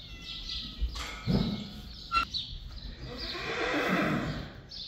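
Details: Friesian horse calling as the horses Mathilde and Shiney come back; a short harmonic neigh near the start, then breathy, rustling noise and a loud, broad blowing sound in the second half.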